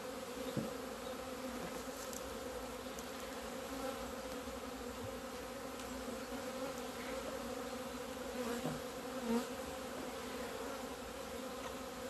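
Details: Honey bees on 17 February 2020, leaving the hive and flying out into the sun for the first time after two months of winter; a steady, droning hum with layered low tones, with a few faint ticks and clicks.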